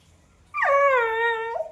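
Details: Lilly the puppy, engaged in playful back-and-forth talk with a person, produces a sustained tonal whine that dips sharply, holds steady for about a second, then lifts briefly at the end.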